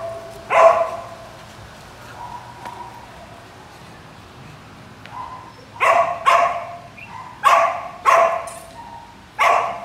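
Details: Samoyed barking in bursts: one early bark, a long pause with faint whines, then a rapid run of five or six sharp barks at uneven intervals in the second half.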